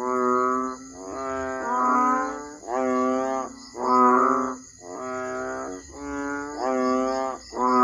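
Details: Asian painted frog, also called banded bullfrog (Kaloula pulchra), gives deep, nasal, bellowing notes, each under a second and repeated about once a second.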